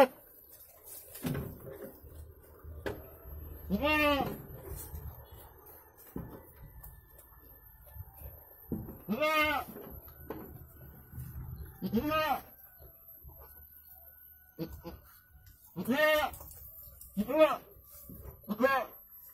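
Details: Goat in Indonesia during the birth of two kids, giving about six loud, harmonic, wavering bleats spaced irregularly through the recording, with quiet stretches, faint rustling and handling noises between calls.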